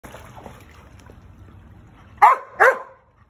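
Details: Giant Schnauzer, frustrated at being unable to bite a ball near water, giving two sharp, loud barks about a third of a second apart after a quiet stretch with trickling water.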